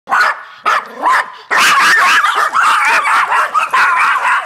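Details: Yorkshire terriers confronting a raccoon bark in sharp, high yips that soon run together into a continuous frantic clamor.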